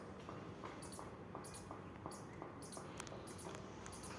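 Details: Playful squirrel producing short high squeaky chips about twice a second, each with a fainter lower tone, against soft room noise.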